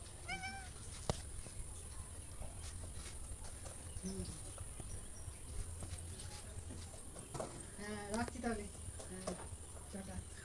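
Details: Domestic cat calling: a short meow at the start, then a cluster of quick, wavering meows in the middle and end, mixed with people talking and steady background noise.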